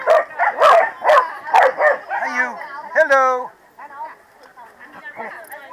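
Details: Corgi barks at the 2017 PWCCGS NJ Corgi Funday Sunday, New Jersey: four loud, rough barks in quick succession, then a rising whine and people talking.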